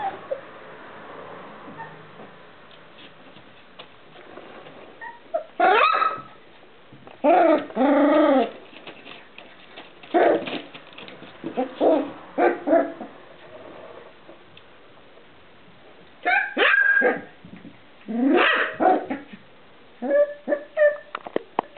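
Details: Irish terrier pup aged four weeks, crying in loud bursts of whimpers and yelps, some drawn out and wavering, others short. The cries come in irregular groups with quiet gaps between them over about twenty seconds.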